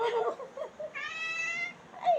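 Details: Pet cat gives one short, clear meow between bursts of a woman's Tamil speech addressed to it in a small room.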